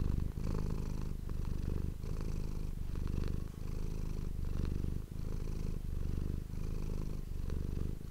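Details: Domestic cat giving a steady low purr close to the microphone, rhythmic rumbling phases separated by brief breaks about every 1.5 seconds, with light rustles in between.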